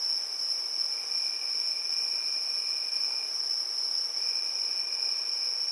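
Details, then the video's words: Many crickets chirping together on a summer evening, forming an unbroken high, ringing drone. A quieter, lower trill runs beneath it and briefly stops partway through. "Relaxing Evening Cricket Sounds"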